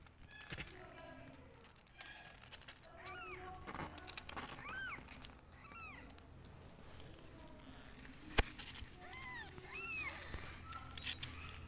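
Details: Mother cat with her two kittens, the mother better after antibiotics while the kittens suffer side effects and feel unwell; a string of short, arching, high-pitched meows repeats over several seconds, with background voices and a sharp click.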